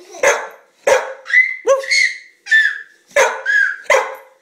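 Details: Pet dog Shadow, female, barking rapidly beside a giggling baby at home: about seven loud barks close together, mixed with sustained high squealing sounds between them.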